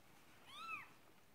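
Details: Persian cat named Marley during the birth of her second kitten: a single clear meow that rises and falls in a smooth arch, lasting under half a second, in a quiet room.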